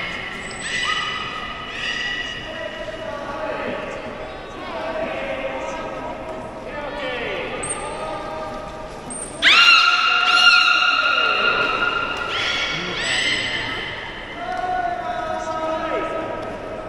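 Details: Beluga in a tank at Port of Nagoya Public Aquarium, Japan, producing many overlapping tonal calls, short squeaks and steady harmonic whistles, loudest near ten seconds, against a hall-like background hiss.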